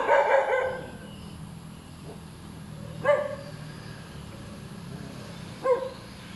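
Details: Hyperactive, noisy dog barking nonstop: a burst of harsh barks at the start, then single sharp barks about every two and a half seconds over a low steady hum.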